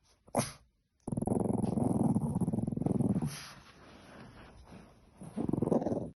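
A Boston Terrier puppy makes low, rumbling grumbles and snorting noises in long pulsing bursts.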